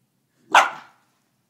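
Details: Dog, a Rhodesian Ridgeback or a Golden Retriever puppy, during a tussle over a bone: a single sharp bark, bright and loud, fading quickly, with a soft sound starting at the end.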